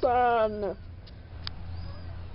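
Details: One of four weeks-old farm kittens, Spanky's litter: a single loud, short meow, level then dropping away after under a second, followed by quiet low hum and faint clicks.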